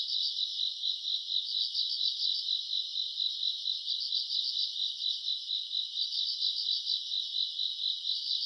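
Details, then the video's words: Grass insects on a summer night, self-recorded around August: a dense, continuous chorus of high pulsing chirps, beating steadily with slight swells in loudness, with no other sounds. "풀벌레 소리 가득한 밤"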